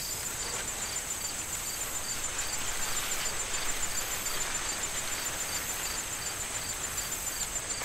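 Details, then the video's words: Autumn crickets calling from a corn field soon to be harvested, with stronger wind rustling the stalks. The regular high chirps, several per second, run beneath the gusts, and a constant thin trill sits above them. "Corn Field Sound of Wind and Crickets"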